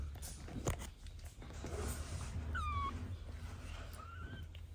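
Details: Domestic cat, a fluffy mother hugging her restless kitten, which does not want to go to bed; two short, thin mews sliding downward in pitch, about a second apart, over a steady low rumble in a quiet room.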